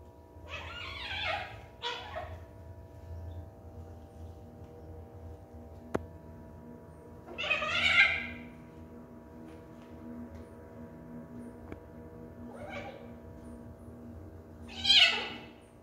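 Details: Domestic cat meowing indoors, four or five short, rough, rising-and-falling meows spaced several seconds apart over a low steady hum.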